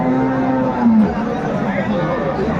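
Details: Cattle at Aftabganj market in Dinajpur, where cows and calves are being sold; a low sustained moo with a slight downward bend, heard over background chatter and crowd murmur.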